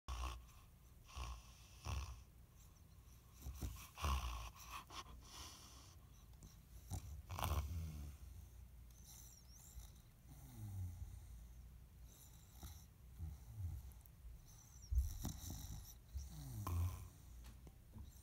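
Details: A female English bulldog snores through her toy in deep, rattling breaths, with wheezy snorts every couple of seconds.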